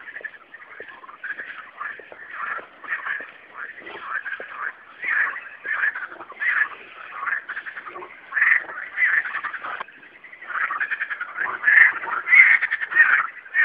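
Frogs calling at night in a dense chorus of overlapping, pulsing croaks.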